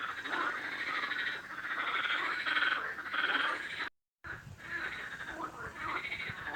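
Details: Frog giving a steady run of raspy, mid-pitched croaks that pulse in quick succession, with a brief gap of silence just before the fourth second, then the croaking resumes.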